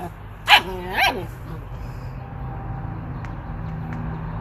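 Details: German Shepherd dog from a compilation of funny dog videos: two loud, harsh barks about half a second apart, then a steady low hum and faint clicks for the remaining seconds.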